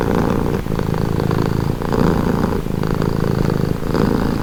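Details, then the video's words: Calming purr of a pet cat: a deep, even rumble pulsing in alternating in-and-out phases about once per second, close and uninterrupted. "Purring cat | Calming Relaxing Nature Sound"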